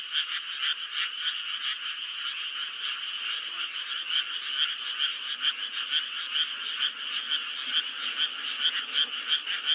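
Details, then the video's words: Frogs croaking in May, a busy chorus of rasping, pulsed calls layered on each other, with some louder bursts standing out from the continuous background trill. "5월의 개구리 울음소리"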